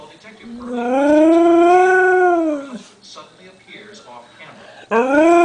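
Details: A Siberian Husky howls to wake the household for breakfast in the morning, a long, smooth howl that rises, holds steady, then falls away; he also has a sneezing fit, possibly from allergies.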